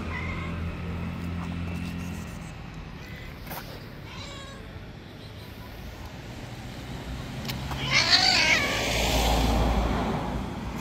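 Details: A white stray cat that bullies other street cats gives faint cries early on, then one strained, wavering yowl near the end, all over a constant low engine hum from passing traffic.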